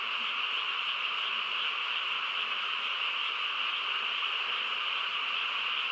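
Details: Countryside night frog chorus, quiet surroundings; many overlapping callers merge into a continuous shimmering drone, strongest in a high band with a second lower band, level and unchanging across the recording.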